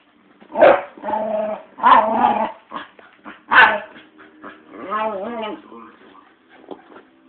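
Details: Red, a pet female Staffordshire Bull Terrier, urging a man to play with her, lets out a run of grumbling, moaning noises with rising and falling warbles, loud bursts roughly every second, then a long wavering whine.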